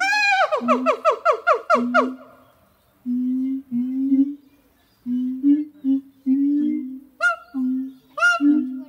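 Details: Two siamang gibbons, Harry and Mila, sing on a hot summer morning of 6 August 2018 at Zoo de La Fleche: a rapid series of rising whooping notes, then low booming hoots with short gaps and sharp upswept barks near the end.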